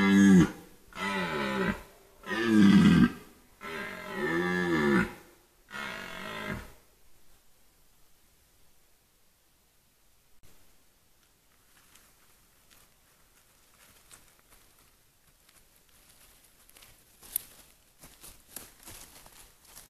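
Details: Red deer in the White Carpathians, 2022: four deep, harmonic, groaning roars in close succession over the first six seconds, each swelling then fading, followed by near silence with faint rustles and scattered clicks.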